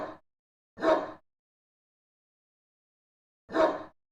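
A dog gives three short, sharp barks with a long pause before the last one.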